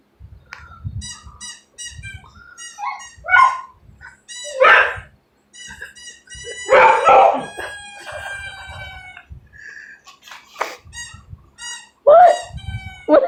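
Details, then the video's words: Pet dog at home barking at a squeaky toy on television: a few loud, harsh barks and a howl-like bark break in among runs of short, high, whistly toy squeaks that repeat in quick series, with quiet background music. "my dog is barking at a squeaky toy on TV"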